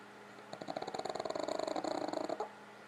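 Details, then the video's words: Pug named Gypsy snoring indoors, tired out after a visit to relatives' house: a fast rattling series of pulses, nearly two seconds long, over a steady faint room hum. "My pugs snoring"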